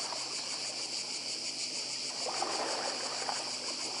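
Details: Cicadas on Badija island, Croatia, in 2024: a dense, steady high-pitched buzzing chorus with a fast rhythmic pulsing, about three beats a second, above a soft wash of sea.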